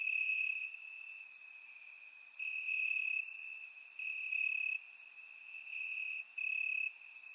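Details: Night-time crickets in Bulgarian grass during a warm summer: an unbroken piercing trill whose loudness pulses up and down every second or so, with scattered sharp high clicks.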